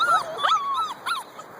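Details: Husky puppies, two months old, whimpering in the morning as they are let out one at a time: thin, wavering high whines sliding up and down, quickly repeated, then fading.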